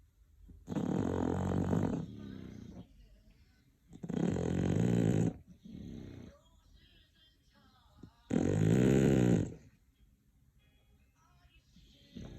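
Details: Sleeping English bulldog giving three heavy, rattling snores spaced about four seconds apart, each lasting over a second, with fainter wheezy exhales between the loud intakes.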